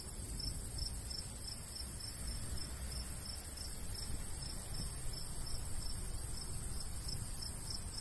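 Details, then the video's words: Countryside cricket in summer beside a golden wheat field: regular high-pitched chirps pulse roughly three times a second without pause, over a continuous low breeze rumble. "Countryside/cricket sounds"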